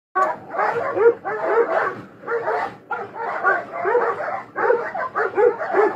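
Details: Dogs fighting: dense, harsh, overlapping barks and snarling growls run almost without a break for six seconds, with rough bursts rising and falling in loudness.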